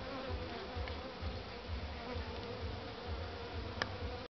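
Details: Western honey bee (Apis mellifera) colony gives a dense, steady droning hum during a spring hive inspection; the colony was found queenless, with no brood and heavy food consumption, suspected beforehand from how the bees moved at the entrance.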